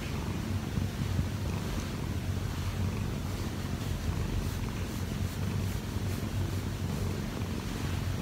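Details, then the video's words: Kkobugi, a one-year-four-month-old odd-eyed Munchkin cat, kneading on its owner after climbing onto her when she wakes late; a steady low rumbling purr continues throughout with no break, and faint soft hiss above it. "엄마 위에서 꾹꾹이 골골이 하는 꼬부기"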